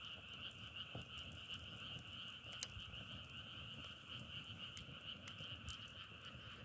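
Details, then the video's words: Frogs calling in a dense, steady chorus, a continuous two-toned trilling hum without pauses, with sharp crackles and pops of burning firewood scattered throughout. "자연의소리 장작타는소리=개구리소리"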